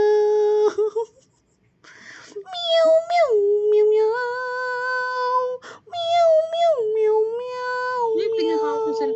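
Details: A cat gives long, drawn-out meows: a short call, a pause, then two extended wails that dip sharply in pitch before settling into a steady, held tone, with a brief break between them.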